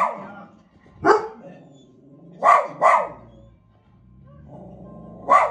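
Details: Domestic dog reacting to the television with four loud, abrupt barks, a single one, then a quick close pair, then a final bark, while TV voices and faint music continue underneath.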